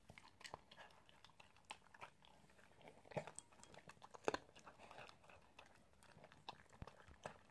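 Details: An Italian Greyhound chews its food. Soft, uneven crunching and wet chewing clicks come roughly once a second, with a couple of sharper, louder bites standing out.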